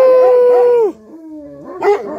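A dog gives a drawn-out, steady howl that drops away, then a lower moan rising again.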